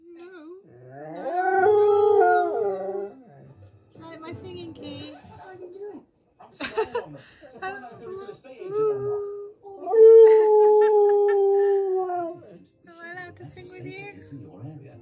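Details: Siberian Husky Key, angry with his owner for talking over him, lets out two long wavering howls, one early and one later, between stretches of broken vocal sounds and human talk.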